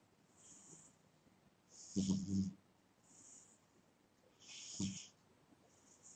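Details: Sleeping pet cat snoring indoors: airy hissing breaths alternate with two louder, low rasping snores, each lasting about half a second.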